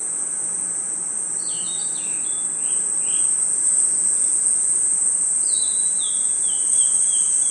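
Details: Forest crickets and insects at night keep up a continuous piercing high trill, overlaid by two bursts of descending whistled chirps, one in the first half and a longer stepped series toward the end.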